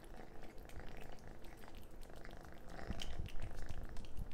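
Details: Messy-eating orange cat indoors: continuous low purring rumble mixed with quick wet smacking and crunching clicks that grow louder near the end.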